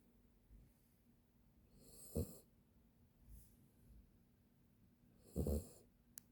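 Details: Poodle named Bom asleep with its head on a person's arm, snoring softly: two short, low, rumbling snorts about three seconds apart, separated by quiet breathing.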